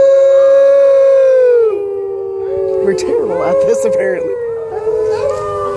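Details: Captive wolf howling at the San Diego Zoo, 2014: a sustained, steady howl that slowly drops in pitch, followed by a jumble of broken, wavering howls and yips mixed together.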